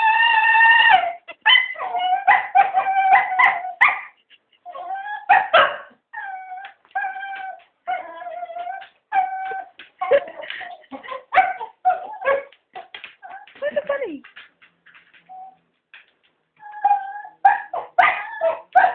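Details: Three cocker spaniels begging for a walk, a long run of mixed yips, whines and howling barks, many overlapping, some tonal cries held steady, briefly quieter near the middle before rising again.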